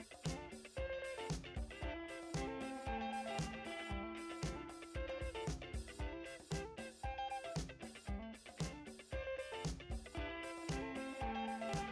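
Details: Funky instrumental music with plucked guitar, bass and a steady drum kit beat, no animal voices present.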